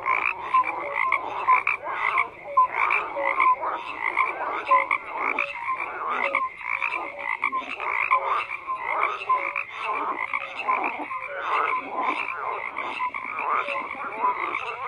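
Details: Long stretch of a thick frog chorus, countless rasping croaks overlapping without a break, with intermittent short tonal notes and steady fluctuating loudness.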